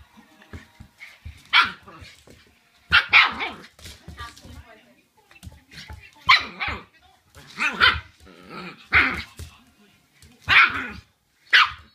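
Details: Shiba Inu puppy at home barking furiously at its owner's feet right after the owner returns, apparently angered by the smell of the feet; sharp, noisy barks in bursts every one to two seconds, with a person's voice in between.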